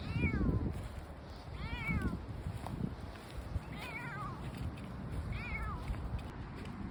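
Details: Outdoor brown tabby male cat, seemingly roamed around a kilometre from a shrine, mewing four times at intervals of about one to two seconds, each call short and falling in pitch, with low ambient rumble.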